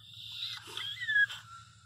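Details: Female Pinscher in labour, crying in pain while giving birth; a long high, thin whine that slides slightly downward and then fades, over a low steady hum.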